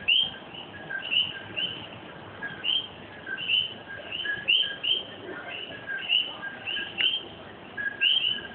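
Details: A night chorus of common coquí frogs in Puerto Rico, many voices repeating their two-note 'co-QUI' calls.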